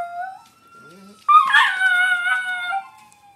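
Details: A Miniature Pinscher/Chihuahua mix named Johnny Rotten is set off by game sirens. A thin siren tone runs first, then the dog breaks into a strong, sustained, harmonic-rich howl lasting over a second.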